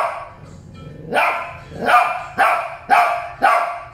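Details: Barking from Shih Tzu pair Molly and Loly: after a soft lead-in, five loud yapping barks follow at roughly half-second intervals.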